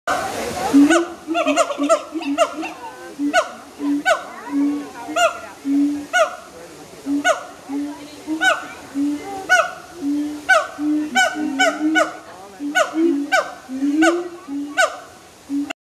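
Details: Siamangs at Woodland Park Zoo give loud, rhythmic barking and whooping calls in quick repeated bursts.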